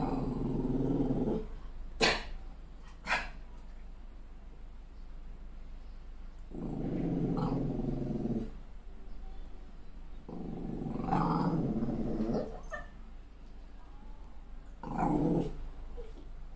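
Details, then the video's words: Malshi crossbreed puppy enraged by her own mirror image following a fresh haircut, giving repeated low growling bouts of a second or two, punctuated by short sharp barks or snaps. "When Dogs Go Mad: Malshi Puppy's Epic Meltdown Over a Haircut!"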